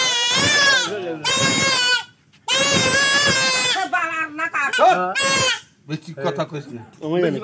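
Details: Buck goat under castration giving loud, drawn-out quavering bleats, two short and one longer, followed by choppy broken cries mixed with people talking nearby.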